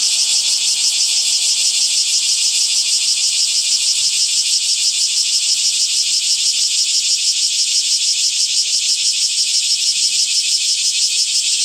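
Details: Cicadas calling in summer: a dense, high-pitched, unbroken buzzing drone that throbs steadily about three times per second for the whole stretch, loud and even, with no other sounds heard.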